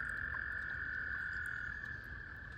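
Spring peepers calling together, their high peeps blending into a steady, shrill ringing chorus.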